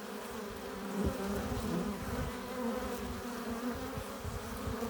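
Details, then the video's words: Buzzing of many honey bees entering their hive carrying pollen and nectar, a continuous layered hum with brief louder swells as individual insects fly past near the entrance. "15 minutes of bee hive entrance! Relaxing sounds! Buzzing sound efects"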